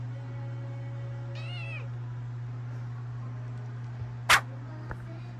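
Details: Rescued kitten, taken in after nearly falling into a river and kept indoors for about a month, noticing its own tail. It gives one short, high, wavering meow, over a steady low hum and soft background music, with a sharp click afterward.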